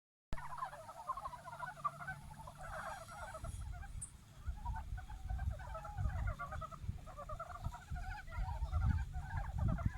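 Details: Japanese brown frogs courting in a stream fed by snowmelt, a chorus of many overlapping pulsed, rattling croaks repeated in quick uneven bursts, over a steady low rumble of flowing water.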